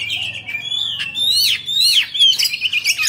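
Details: Oriental magpie-robin, Bạch Bạng form, kept as a cage bird, singing and displaying its fanned tail: loud sweet whistles, swooping up-and-down slurs and twittering notes in a continuous, lively phrase.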